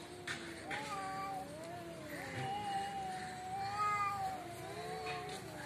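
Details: Cats squaring off in front of a home: continuous low, wavering caterwauls that rise and fall in slow undulating waves, with a few faint knocks and a distant hum behind.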